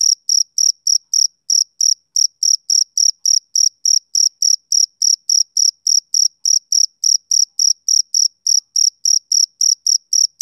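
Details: Summer-evening song of a male cricket: shrill, evenly spaced chirps about three per second, with one brief pause near the start, set against complete quiet.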